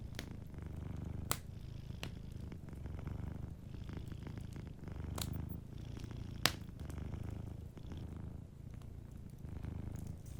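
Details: Sleeping cat purring softly beside a warm fireplace, a low rumbling purr rising and falling in phrases about every one and a half seconds, with sharp wood crackles and pops from the fire throughout.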